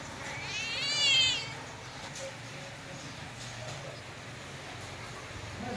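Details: Pet female cat during play with her owner; one high, wavering meow about a second long that rises and then falls, followed by quiet room noise.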